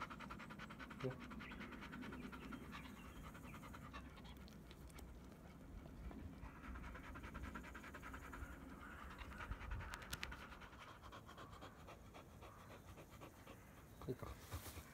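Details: Black Labrador Retriever named Bee, in shedding season with loose undercoat, panting indoors: steady rhythmic breathy puffs throughout, with a woman's voice talking over it and small clicks and rustles.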